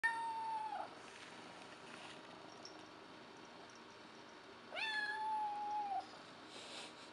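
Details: Young kitten Patches, a few months old, begging to be fed indoors shortly after eating: a clear falling meow at the start, then a second longer meow near five seconds, quiet room between.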